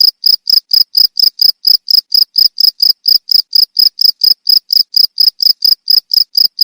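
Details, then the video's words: Loud, shrill cricket chirps, each a short ringing burst, spaced evenly around two per second; intended as a model sound for training songbirds. "Suara jangkrik untuk masteran burung"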